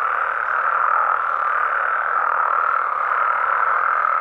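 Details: Frogs and toads of Mexico at night in their natural environment: an unbroken, uniform chorus of blended mid-pitched croaks, loud and even from start to finish with no other sounds.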